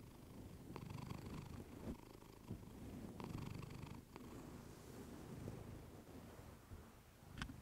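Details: Close-miked purr of Clementine, a domestic cat: continuous deep rumbling that rises and falls with her breathing, broken by scattered small taps and rustling.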